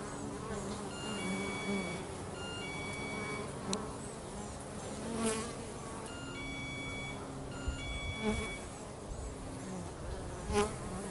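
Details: A bee colony at home hums steadily with low droning tones, several brief louder passes, and scattered faint high whistled tones in the background.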